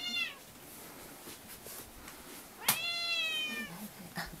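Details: Indoor pet cats demanding breakfast with loud insistent meows: a short falling meow at the start, then after a sharp tap a long, bright, slightly wavering meow lasting about a second, with soft household sounds.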